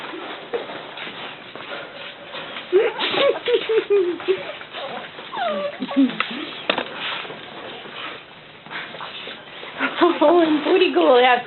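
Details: Indoor whimpering from dogs, among them Cockaliers, brother and sister: thin, wavering whines that rise and fall in short bursts, one cluster at about three seconds and a shakier run near the end, over people talking and scattered clicks.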